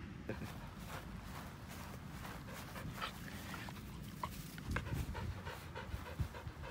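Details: White senior Samoyed Pasepon pants on a lawn, airy breaths repeating in quick succession, a few louder gasps later on, over a constant low rumble.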